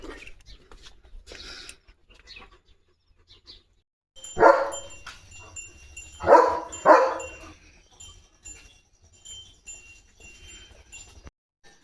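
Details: Leo, a pet German Shepherd, barks to announce that rain is coming: three deep, broad barks, one alone and then a close pair about half a second apart, after quiet stretches, with faint music tones underneath.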